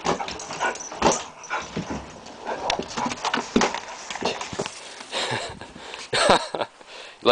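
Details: Jack Russell Terrier playing outdoors in the snow, giving short irregular whimpers and snuffling bursts amid crunching snow, with a man talking to the dog in between.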